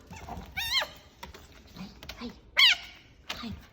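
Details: A fennec fox (Vulpes zerda) gives high, wavering squeals that warble up and down, making crazy noises after dropping something, while a person talks softly.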